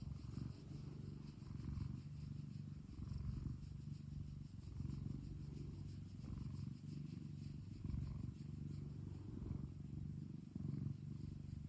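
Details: Pet cat kept at home purring: a steady, low rumbling drone with layered harmonics, swelling and easing with each breath, roughly 37 breath cycles a minute, in a quiet indoor setting.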